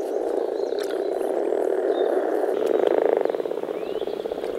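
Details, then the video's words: European common frog (Rana temporaria) males gathered at a forest pond in early spring to mate, giving deep grumbling calls from their vocal sacs; a dense, continuous low purring chorus with faint higher bird chirps above. "Nature sounds – European common frog (Rana temporaria)"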